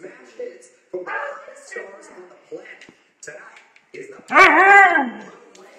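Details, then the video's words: Hungry Siberian or Alaskan husky puppies at lunchtime feeding: a loud, brief, arching whine rises and falls near the end, after stretches of soft human talking. "Siberian/Alaskan Husky Puppies feeding"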